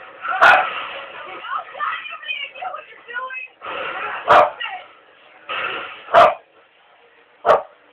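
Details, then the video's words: Pet dog barking: four abrupt single barks spaced irregularly, one to two seconds apart, while a person keeps talking through the gaps. "the barking dog"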